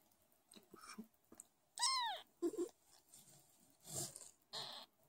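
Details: A newborn Sphynx kitten weighing 50 g at birth and being hand-nursed lets out one clear, high, arched mew. Two brief squeaks follow, amid soft rustles and handling sounds indoors.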